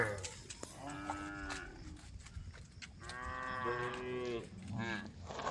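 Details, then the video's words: Road scene with a group of tame female cows calling the herd; short and longer harmonic moos from several animals set against heavy rumbling noise. "a group of tame female cows on the road, the sound of cows calling the herd"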